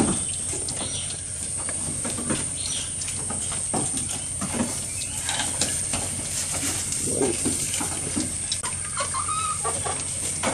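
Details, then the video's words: A goat eating, recorded close up: a steady run of crisp, broadband crunches and tearing clicks from chewing and pulling at food, with faint bird chirps in the background. "Goat Eating Sound"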